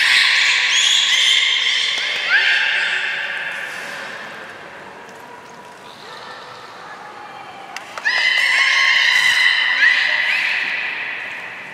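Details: Belugas Gray, Nana and Niko during a training session after the public 16:00 show at Port of Nagoya Public Aquarium, January 1, 2019; high whistled tones with stacked harmonics, some rising sweeps, a quieter middle stretch, then a loud burst of whistles.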